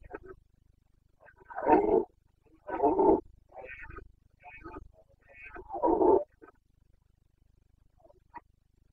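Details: Red deer stag of the Carpathians, Bucovina, in the rut of late September 2022: a run of deep, rasping roars about a second long, separated by short pauses and softer grunts, fading to quiet.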